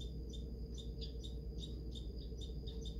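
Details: Agitated squirrel chattering at a feeder near North Battleford, Saskatchewan, as a second squirrel feeds quietly nearby. Quick, harsh, high-pitched bursts come in a fast, even series, with a constant low rumble underneath.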